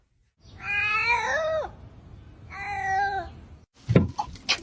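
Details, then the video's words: A house cat voices two long, wavering meows, the first bending downward at its end. They are followed by sharp clattering knocks indoors. "These Cats Speak English Better Than Hooman!"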